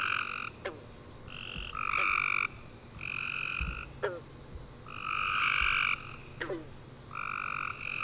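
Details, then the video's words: At night after a rainy summer day, a chorus of tree frogs chirps in dense overlapping bursts, harsh buzzy trills about half a second long answering each other, with faint clicks between. "Tree Frog Chorus After A Warm Rainy Day - 10 Hours Tree Frogs Chirping You To Sleep"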